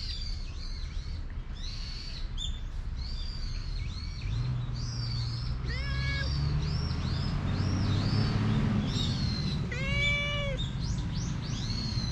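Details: Stray cat coming to be petted after sprinting toward a familiar person, GoPro HERO8 recording; two separate drawn-out meows, the second stronger, under dense twittering birds and a low engine-like hum in the middle.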